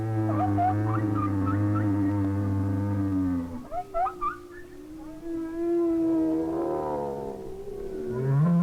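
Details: Lone humpback, probably male, singing in winter while barely moving, perhaps to attract a female; drawn-out low groans broken by short upsweeping squeaks, then a rising moan, with far-off whales singing in the background.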